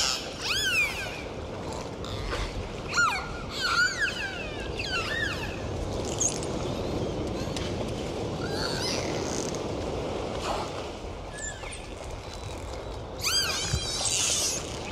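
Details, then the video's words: Dolphin sounds: several thin rising and falling whistles with harmonics, scattered clicks and a few buzzy bursts over a steady background hiss, with brief quiet gaps between calls. "DOLPHIN SOUNDS"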